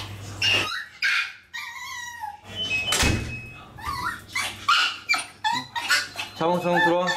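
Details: Indoors in a small room, Maltese dogs react to being left behind while one of three housemates goes out: short, bending whimpers and yips, a human voice in between, ending in a rapid run of pulsing whine notes.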